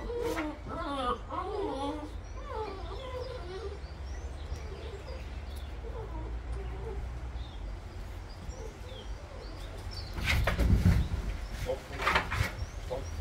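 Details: Bernese Mountain Dog puppies, newly born in September 2023, give a run of wavering, high-pitched squeals and whimpers for about four seconds, fading into softer whines, with low background rumble and clattering handling noise near the end.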